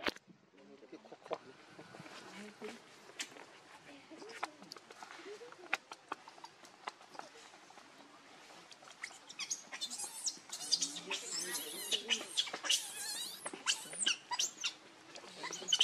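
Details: Baby monkey named Leo, hungry and crying as he begs his mother for milk; soft rustling and low murmurs at first, then bursts of shrill, high-pitched wailing cries repeated rapidly through the second half.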